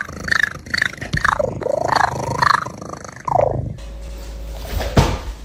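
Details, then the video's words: Domestic cat featured among ranked funny cat sounds: a quick run of short chirping, chattering meows with arching and falling tones over about three seconds, then a cut to a hissy background with one soft thump. "funny cat sounds"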